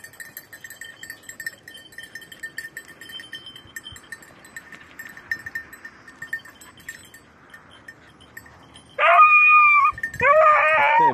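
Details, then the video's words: Beagles of red-blue tick and lemon-white coats on hare hunting practice on Crete, Greece, in 2022: steady tinkling bells for nine seconds, then loud, high, drawn-out baying cries near the end. "2022 hare practice redblue tick lemon white beagle crete Island"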